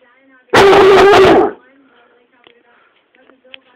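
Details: Swiffer, a pet dog throwing an angry tantrum on the sofa, gives one long, drawn-out, harsh bark of about a second, followed by quiet indoor background.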